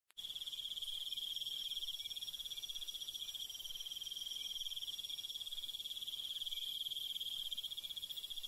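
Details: Crickets calling at night in the countryside: a dense, steady high trill of rapid pulses, unbroken for the whole stretch, with a fainter shimmering layer above it and no other sounds.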